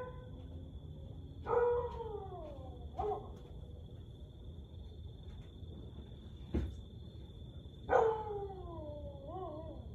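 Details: Siberian Husky howling at night, 1:49am on 30 May 2021: several descending howls, a long falling wail followed by a shorter one and a click, then a wavering downward howl, over a constant high whine and low hum.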